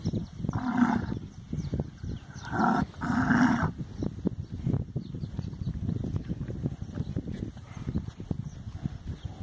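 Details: Heavy purebred Nelore, Brahman and Guzerá cattle, about one tonne each and fat, on their way to slaughter. Within the first four seconds come two or three loud, deep, drawn-out moos, followed by low rumbling and clattering handling noise.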